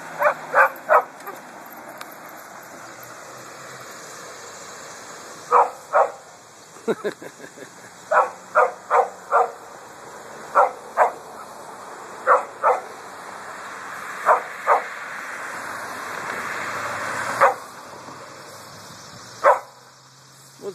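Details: Coffey, a pet dog, barking at a passing trailer on a hot August walk through a cemetery: loud, sharp barks in bursts of two or three, some single, spread over twenty seconds, with traffic hum and a man's voice urging him on.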